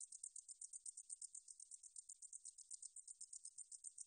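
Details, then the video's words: Korean katydid 등줄어리쌕쌔기, recorded in 2020 for the National Institute of Biological Resources, sings rapid, high-pitched, sizzling pulses at roughly four per second without pause against a quiet background. "등줄어리쌕쌔기, 여러번 듣기, 곤충소리"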